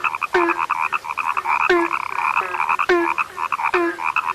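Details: Frog whose voice is said to have become rare: a few loud croaks spaced roughly a second apart, each opening with a quick downward sweep into a deep note, set against continuous buzzy trilling from other frogs.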